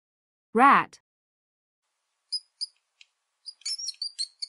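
A rat gives a run of thin, very high squeaks after a spoken word.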